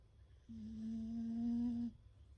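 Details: Sleeping beagle called Fukuko making a nasal whistle while snoring, a steady hum-like tone lasting roughly one and a half seconds that grows a little louder before stopping abruptly, with quiet low background noise.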